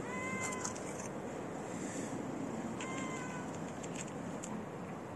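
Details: Stray white-gray street cat seeking attention while following someone, giving two drawn-out, level meows about two and a half seconds apart over constant low outdoor rumble and faint clicks.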